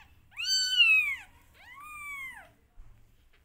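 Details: Two clear, drawn-out meows, the first loud and arched, the second softer and flatter, from a rescued family of a mother cat and her five kittens, indoors and otherwise quiet.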